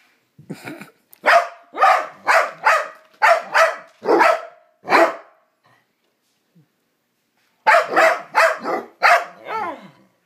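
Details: Two pet dogs in a strange mood, making odd noises at each other while playing: a run of about eight sharp, evenly spaced barks, a pause of near silence, then another quick series of barks.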